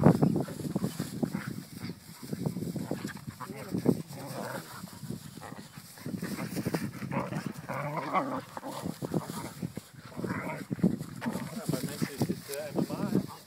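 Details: Sparky the dog fighting with another dog, wrestling on the ground together: continuous rough, throaty growls and snarls in a dense, low rumbling stream, with people talking in Dutch throughout.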